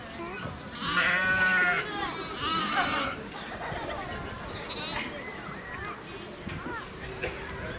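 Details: Lamb at Nasu Animal Kingdom, Tochigi prefecture, Japan, 29 April 2018: two shaky, drawn-out bleats in quick succession at the start, followed by visitors' chatter and children's voices.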